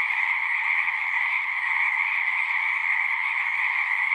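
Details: Short stretch of a frog chorus at a pond in a horse pasture, recorded with a Zoom: steady overlapping trills in a high and a lower band, with faint scattered low crackles underneath.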